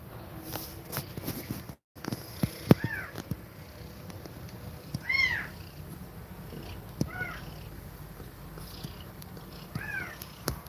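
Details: Mother cat breathing fast while nursing her kittens indoors: a steady low rumbling purr-like drone runs throughout, broken by a few short, high, arching mews and scattered clicks and rustles.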